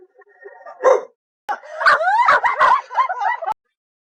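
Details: Dog making a weird vocalization in choppy bursts: a brief whine, a silence, then a run of short warbling, yodel-like yelps that bend up and down before cutting off sharply.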